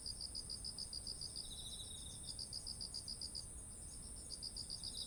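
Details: Autumn insects calling beside ripe rice fields: rapid high pulsed chirps repeated in long runs, with a second fainter trilling insect and a steady very high continuous buzz, over low rumbling background noise.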